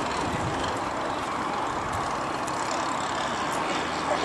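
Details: Loud continuous engine-like roar outdoors with faint speech and no animal sounds.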